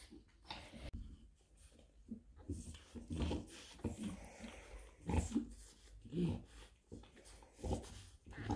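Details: Labouring French Bulldog Bluebell, delivering 10 puppies (3 males, 7 females), indoors: breathy panting with short low whimpers and grunts, several sharper strained bursts in the second half, faint shuffling nearby.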